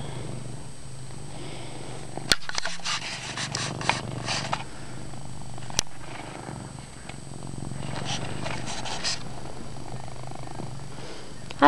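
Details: Deep purr of a house cat named Chase, steady and unbroken, punctuated by sharp clicks and rustling bursts as he moves in a dark bedroom.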